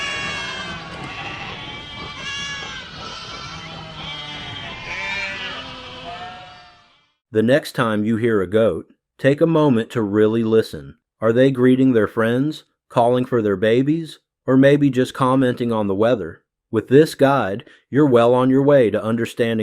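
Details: Goat bleating: after about seven seconds of dense, layered harmonic sound, eight loud, wavering, nasal bleats follow, each about a second long, separated by short clean silences, with a steady low pitch and quivering tone.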